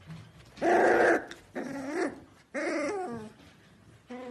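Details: Young Pembroke Welsh Corgi making tonal whining yelps that rise then dip, three drawn-out cries separated by short pauses, ending with the start of a fourth.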